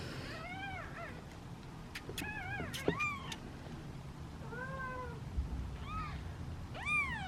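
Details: Hungry kittens, part of a litter of seven, sitting in a basket and waiting impatiently to be fed; several overlapping high, arched meows come in clusters, rising then falling, with quieter stretches between and faint background rumble.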